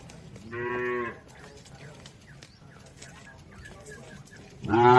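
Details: A herd of cattle crossing a river toward the pen; one steady moo sounds near the start, followed by near silence, then a second loud moo begins right at the end.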